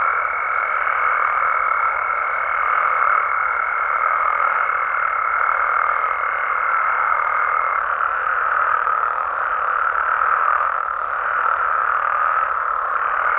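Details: Frogs and toads calling at night in Mexico: a dense, unbroken chorus of trilling croaks forms a steady mid-pitched roar, with a thin high whistle-like tone running through the first eight seconds, then fading out.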